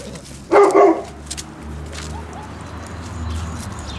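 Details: Hovawart puppies out in the garden for the first time; one short, loud bark-like yelp followed by a quieter second burst, then faint squeaks against low background rumble.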